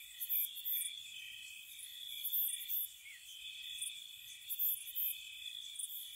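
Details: Crickets on a spring night outside a cottage: a sustained high trill with sporadic bursts of sharp, very high chirps in small groups, spaced unevenly about two seconds apart.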